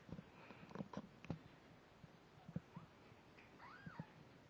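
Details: Layla, a snowshoe Siamese mother cat, with her one-week-old kittens indoors; faint short high mews from the kittens, one rising then falling arched cry near the end, over soft rustling and thumps of wriggling.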